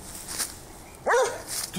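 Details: Plott Hound hunting dog during a wild boar hunt; one short, sharp bark near the middle, falling then rising in pitch, amid quiet outdoor background.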